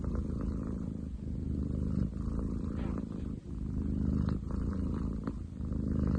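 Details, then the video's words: Ten chan, a young male long-legged munchkin cat, purring loudly indoors; a continuous low rumbling throb cycles with each breath, brief pauses near two and three and a half seconds, steady and strong throughout. "工事現場並みに喉を鳴らす猫。Cat purr like construction site!?"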